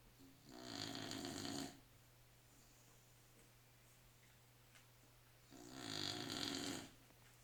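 A Staffordshire Bull Terrier snores in two long, rasping breaths with a quiet pause between them.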